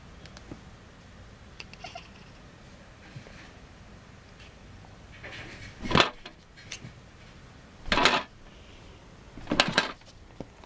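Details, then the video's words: A playing kitten gives three short, harsh, noisy bursts spaced about two seconds apart, near the end, after a quiet indoor stretch with faint knocks and rustles. "Playing kitten making hilarious sound"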